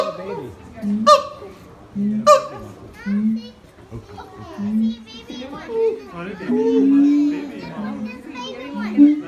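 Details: Siamang adults in high and low harmony, audible up to 4 km, while the infant stays silent on its mother; short low hoots repeat beneath occasional loud barks, with children's chatter and crowd noise throughout.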